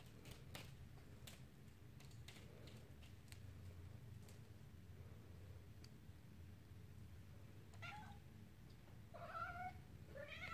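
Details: Male red classic tabby-and-white Maine Coon kitten gives a few high, thin meows, each rising then falling, after some tapping sounds.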